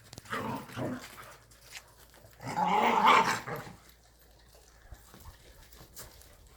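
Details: Korean native Jindo dogs Sundol, Baekho and Ttoksuni at exercise time; two rough, growling bark bursts, the second louder and longer, followed by quieter scuffling and faint movement noise.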